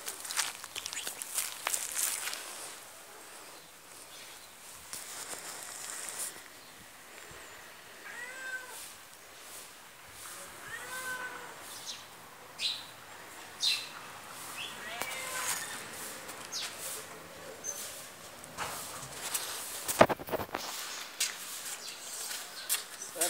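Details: Fully black cat in Pakistan giving a few soft, arched meows spaced several seconds apart, set against steady outdoor hiss and scattered clicks and rustles.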